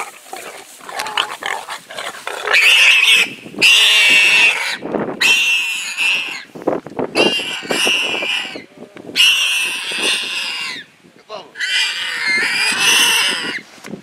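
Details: Wild pig under attack by a leopard, with a hyena intervening, screaming in loud, harsh, shrill squeals that last one to two seconds each, about six bursts separated by brief gaps.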